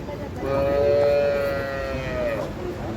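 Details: Holstein Friesian cow at a dairy farm near Ghodegaon, Shani Shingnapur, India, among cows offered for sale; a single long, fairly high moo held steadily for about two seconds, then falling away at the end.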